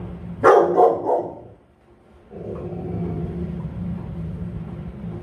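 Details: Guarding Rottweiler gives a powerful double bark at the start, then a steady low droning background noise after a short pause.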